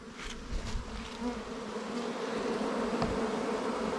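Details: Wild bees buzzing at their nest during a honey hunt: a steady, droning hum in low layered tones, growing louder and fuller over the seconds, with a few brief knocks and rustles early on.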